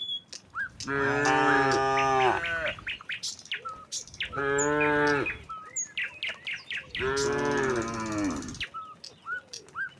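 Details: Herd of tame cattle walking together from the neighbouring village to the pen: three drawn-out, rich moos in quick succession, each over a second long, with constant small bird chirps behind them.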